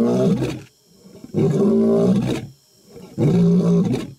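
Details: Deep, rumbling roars from a male African lion, roaring to attack in the African jungle, three bursts about every one and a half seconds, heavy and low.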